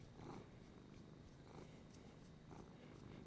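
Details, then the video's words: Female pet domestic cat purring indoors while petted and praised by her owner; steady low rumbling purr with soft breathy swells about every second, the owner's murmured praise nearby. "this is a kitty over here and my kitty is purring"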